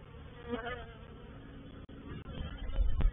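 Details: Honey bee reproductive swarm moving into a bait hive (swarm trap) at Painted Peacock Manor, 04/07/21; low, uneven droning hum with a few sharper clicks and bumps rising toward the end.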